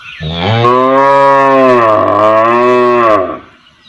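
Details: Village cow standing and calling her calf: one long, loud, steady harmonic moo lasting about three seconds, slightly dipping in the middle before fading, with faint bird chirps before it.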